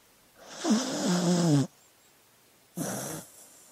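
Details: Dog asleep, snoring: a long, rough, voiced inhale with a low droning tone sliding slightly downward, a pause, then a shorter, softer snore.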